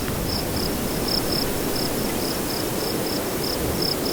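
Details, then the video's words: Cricket at nightfall in windy conditions: short, high, even chirps pulse steadily about three times a second over a constant low roar of wind. "Nightfall Cricket Windy Ambience"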